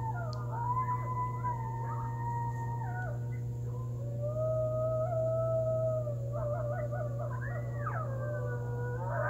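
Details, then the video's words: Coyotes howling at night in a backyard under a waxing gibbous moon on November 29th, 2020: several voices overlap in long wavering howls that rise and fall, broken by short yipping bursts, over a steady low hum. "Coyotes Howling and it was under the Waxing Gibbious Full Moon Phase November 29th 2020"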